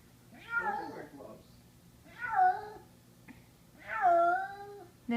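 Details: Kitten crying out in horror after being brought upstairs, recorded indoors in summer 2014; three drawn-out, wavering harmonic meows about 1.5 seconds apart, each rising then sliding down, with faint low room hum.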